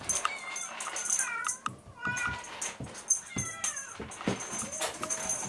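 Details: {'caption': 'Munchkin kittens, 58 days old, playing energetically indoors, give short high meows, several bending up and down, amid scuffling, thumps and a steady high whine in the background.'}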